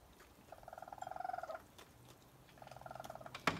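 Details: Young raccoons with their mother eating around 1 am by a porch give two bouts of rapid, pulsed, purring chirps, each about a second long, with a sharp click at the end.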